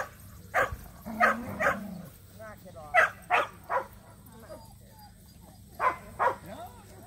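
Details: At a local match show, Samoyeds Mozart and Zuko attend for the first time. Loud barks come in clusters of two or three separated by pauses, over low background chatter and a constant electrical hum.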